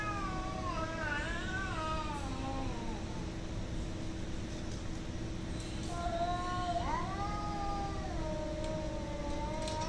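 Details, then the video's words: Two bouts of drawn-out, undulating cat yowling during a fight, the first warbling up and down for about three seconds, the second rising sharply then sustained in a long moan, with constant low hum and background noise. "cat fighting, hating each other"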